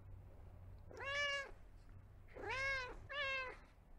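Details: Domestic cat giving three drawn-out meows, each arching slightly up then down, the last two close together, over a faint low background hum.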